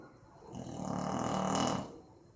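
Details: Sleeping Boxer dog named Maizena snoring, recorded 18 April 2015: one long, rough, low rasping breath that swells and fades over about a second and a half, with a faint airy hiss above it.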